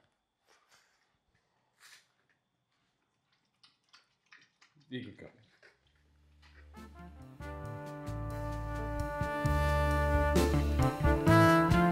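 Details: Scattered soft speech and small sounds give way to loud brass-led music, with no animal voice.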